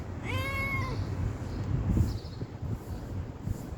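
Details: Stray cat asking for food: one bright, rising-then-falling meow near the start, then quieter rustling and low hum for the remaining seconds.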